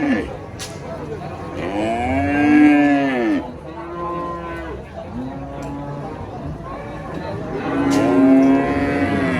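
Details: Enraged giant cow, female, being loaded under a tree said to be haunted: two long, loud, deep moos with a rich harmonic tone, each rising then falling and lasting over a second, separated by quieter lowing, with faint background noise.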